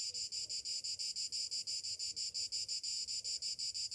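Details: Shrill metallic buzz of cicadas on a summer morning, beating in even pulses roughly three per second.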